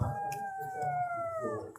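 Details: House cat begging for food indoors: a short plaintive meow just under two seconds, smooth and slightly descending, followed by faint rustling and a soft room hum.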